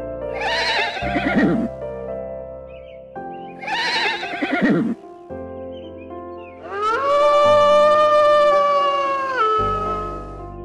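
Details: Two separate horse whinnies, each a bright quavering neigh ending in a falling shudder, about three seconds apart. A long steady tone follows, and music plays throughout.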